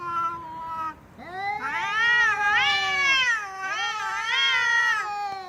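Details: Domestic cat heard in funny sounds: a falling meow, a brief pause, then a sustained wavering yowl with repeated rising-and-falling swells.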